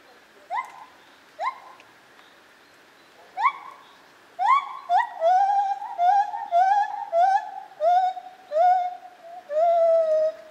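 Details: Lar gibbon, also called white-handed gibbon, at Zoo Opole in 2015. Sparse rising whoops at first, then a quick run of swooping hooted notes that settle into longer, gently falling wails near the end.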